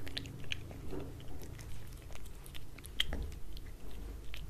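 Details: Wet food eaten by a cat on a glass table, heard as quieter, softer smacking and lapping bites with occasional sharp clicks over a low rumbling room hum.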